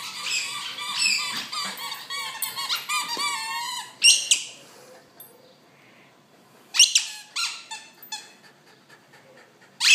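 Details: Junior, a medium-sized terrier surrendered to the SPCA and awaiting adoption, acting like a Jack Russell Terrier; high squeaky whines and yelps in bursts, some drawn out, with short quiet gaps between.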